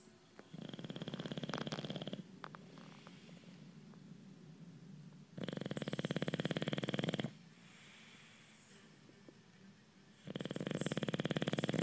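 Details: A sleeping male bulldog snores heavily. Three coarse, vibrating inhalations of about two seconds each come roughly every four to five seconds, with quiet wheezy breathing between them.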